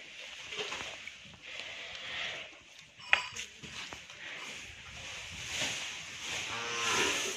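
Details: Hallikar stud bull at Thattekere, Maralavadi Hobali, Kanakapura Taluk: a short, low, harmonic moo rises near the end, over a steady hiss of outdoor background noise and scattered clicks.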